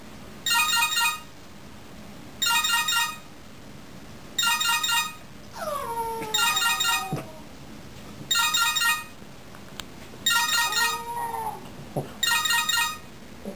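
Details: Vegas, a French Bulldog, reacts to cell phone ringtones, answering the repeated bursts of electronic ringing with sliding, wavering whine-howls that fall in pitch, heard twice between rings.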